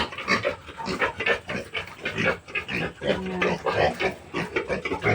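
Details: Native piglets newly separated from their sow at weaning, on a farm. Dense run of rapid, harsh squeals and grunts, about 48 a minute, irregular and overlapping, with one brief sustained tone midway.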